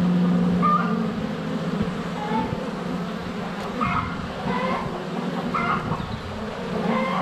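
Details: Honey bees buzzing close to a GoPro Hero 7 Black at the hive entrance during sunny February days; low humming flight noise mixed with short clucking sounds from chickens nearby.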